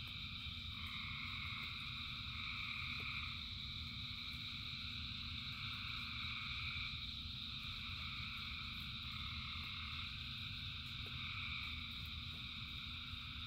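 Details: Frogs calling by the thousands during rain, their voices merging into continuous high buzzing bands that waver in strength every few seconds, with a constant deep rumble underneath.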